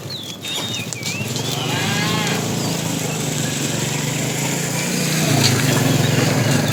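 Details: Fat tame cow calling the female while a herd is driven in the afternoon: a long, low, droning moo held steady for several seconds, with a short rise near the end and bird chirps at the start.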